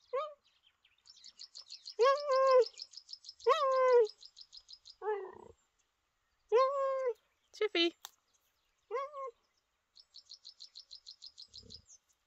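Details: Captive male cheetah, 14 years old, chatty by nature, at a conservation centre giving repeated short chirps and yelps with harmonics, mixed with a rapid high ticking trill of birds or insects in the background.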